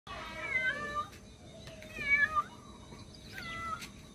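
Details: Cat meowing while calling for its missing kitten: three clear, wavering meows, each rising then falling in pitch, spaced about a second and a half apart, over a faint steady background hiss.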